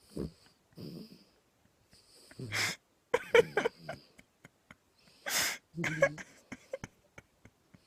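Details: Pet dog asleep indoors, snoring in uneven bursts of harsh, wheezy rasps with low rumbling undertones, several loud snorts spaced a few seconds apart amid quiet gaps.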